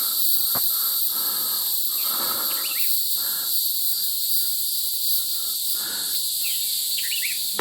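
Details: Evening crickets along a trail in Charon's Garden Wilderness, Wichita Mountains National Wildlife Refuge, keep up a steady, high, shimmering trill in several overlapping layers, with painted buntings and other birds chirping briefly now and then.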